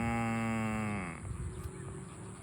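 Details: Farm cow being herded to the barn gives one loud, rich moo lasting over a second, steady and deep before tailing off and dropping in pitch, followed by low outdoor rumble and scuffing noise.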